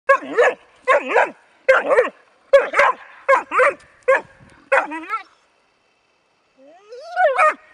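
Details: Bracco Italiano named Rus De'Viaro Venezia giving a run of sharp, excited barks about once a second, then a yelping whine with rising and falling pitch after a short pause.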